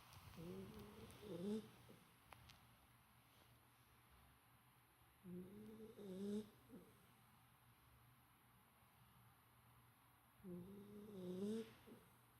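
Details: Golden Retriever puppy asleep, noted as quieter than usual today, snoring in slow cycles about every five seconds; each breath carries a whistly, wavering nasal tone that rises and dips, separated by near-silent pauses.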